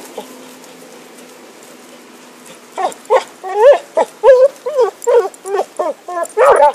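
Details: Happy the dog, playing with a stick in 2012, bursts into a run of about ten sharp, high yipping barks after a quiet start, coming in an uneven rapid series and ending in a louder, rougher bark.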